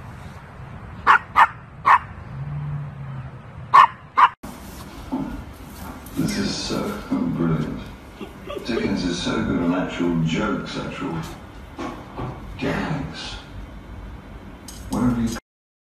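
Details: Pomchi, a Pomeranian Chihuahua mix, yapping in short bright barks, a few spaced out over the first four seconds, then people talking over a noisy background with one last bark at the close.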